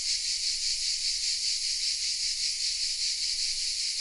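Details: Cicadas hidden in oak trees of a small village in the south of France sing in a dense, continuous high buzzing chorus with a faint pulsing rhythm and steady loudness, no other sounds standing out.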